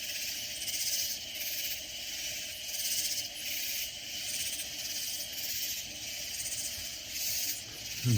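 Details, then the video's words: Loud katydids calling in the Texas Hill Country near San Antonio: a dense, buzzy high-pitched chorus pulsing roughly once a second over a steady insect hiss, ending with a brief thump. "Sounds of Loud Katydid Insects"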